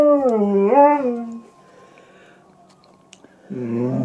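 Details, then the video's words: Pet German Shepherd howling at the TV, where any animal on screen sets her off. A loud wavering tonal howl swoops down then up, fades to near quiet, then a new howl starts at the end. "our nutty German Shepherd sings an Operatic aria !"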